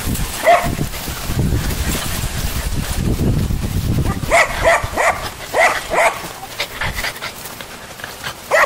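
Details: A few high, clipped puppy yips cluster in the middle of the recording, surrounded by rustling and handling noise, with quieter gaps between them.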